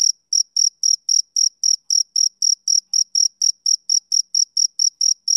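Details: Chirping of a male cricket on a summer evening, crisp high pulses spaced evenly roughly four per second, each a clean shrill burst with an overtone above, no other sounds present.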